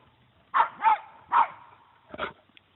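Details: Puggle dog barking at a deer that does not run away: three short sharp barks, then a quieter rough bark after a pause.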